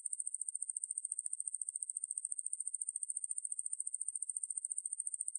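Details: A close view of the Ruspolia lineosa katydid's song, recorded in 2020 by the National Institute of Biological Resources, shows a piercing, high buzz made of quick, evenly spaced pulses. The pulses are clearly separable, with about fourteen each second.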